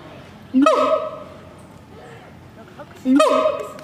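A siamang gives two loud, ringing calls that swoop up sharply, then hold a steady, bright tone.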